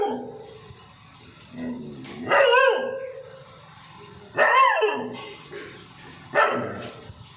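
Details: Pet Labrador barking loudly, three strong harsh barks spaced about two seconds apart, each with a rising then falling tone, over a low background hum.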